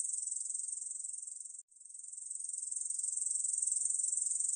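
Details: Korean bush cricket from a 2020 National Institute of Biological Resources recording: a dense, high buzzy trill of rapid pulses, broken by one brief pause of silence near the middle before resuming and gradually strengthening.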